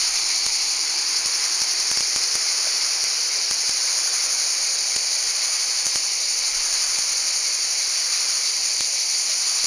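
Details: Continuous shrill hiss of cicadas in Val Trebbia, Italy, a steady high-pitched drone with no pauses, punctuated by occasional soft ticks and knocks.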